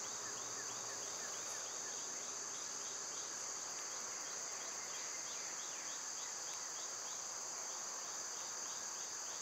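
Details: Summer cicadas hold a continuous piercing buzz, steady in loudness, while a rapid series of faint chirping notes ripples along just below it for most of the recording.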